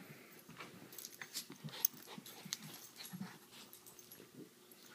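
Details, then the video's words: Puppy at play giving quick, irregular wheezy snorts and breathy huffs, roughly one every second or faster, with scrabbling rustles between them and a low background hum. "Epic puppy playtime"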